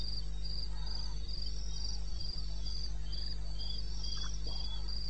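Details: Eastern Botswana wilderness at 2:30 am, 21 May 2016: crickets send out rapid, regular high chirps, nearly four per second, with a second caller slightly lower, above a persistent low drone and occasional faint thumps.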